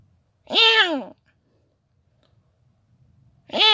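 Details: Young clouded leopard cub at San Diego Zoo, born 24 July 2019, giving two loud, harmonic, mewing calls, each about half a second long, with a bent rising-then-falling pitch and about three seconds of quiet between them.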